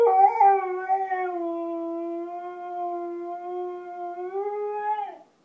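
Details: Siberian Husky howling for its supper: one sustained, smooth harmonic howl lasting about five seconds, dipping slightly early on, holding level, then rising a little before breaking off.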